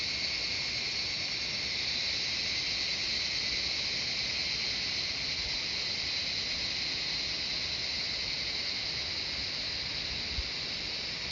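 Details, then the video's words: Cicadas in the Shivapuri Nagarjun National Park jungle outside Kathmandu, Nepal, produce a softer, more distant steady high-pitched hiss that carries on evenly, with one brief click near the end. "Cicadas singing the jungle of Shivapuri Nagarjun National Park"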